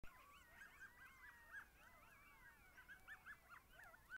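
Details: A coyote in Manitoba joins a chorus of howls while trotting: wavering, overlapping howls broken by sharp, high yips.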